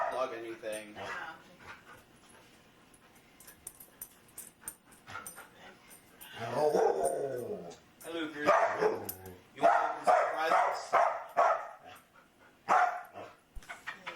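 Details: Luca, a very talkative foster dog, makes frequent vocal noises: bursts of harmonic whining and grumbling yowls that swoop up and down in pitch, loudest in the second half, mixed with a person talking nearby.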